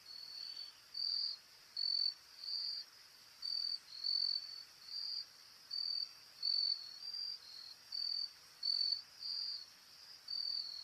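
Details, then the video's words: Courtship display of a Carolina grasshopper, recorded close up: a long run of about fourteen brief, dry, buzzing rattles, roughly one every three-quarters of a second, each high and steady in pitch, with faint hiss between them. "Carolina grasshopper courtship display / dance / ritual"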